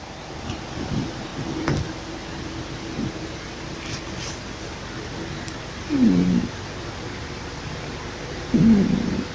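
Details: Pippa, a female pet cat, snoring loudly while asleep: low, rough breathy snorts recurring every few seconds, with two louder, harsher bursts toward the end over a steady quiet background hum.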